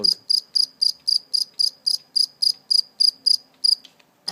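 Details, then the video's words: Live cricket caught and held briefly before release, chirping steadily: bright, high-pitched pulses repeated about four times a second in an even run of fourteen, then stopping abruptly. "Real live cricket chirping sound"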